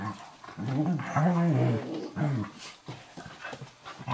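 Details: Eurohound puppy Firenza, about 11 weeks old, and Brio, a 4.5-year-old Nova Scotia Duck Tolling Retriever, play wrestling on a kitchen floor indoors: low, wavering, moaning growls rising and falling over a second or two, then scuffling.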